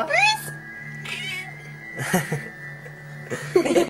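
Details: A pet female cat, asked to say yes, gives a short rising meow, a fainter one a second later and another at the end. Voices and a steady background tone are heard throughout.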